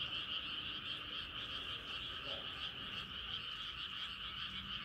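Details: Frogs calling at night as the moon rises: a dense, unbroken chorus of rapid high trilling notes layered into two steady bands, with a faint lower croak near the middle and no other sounds.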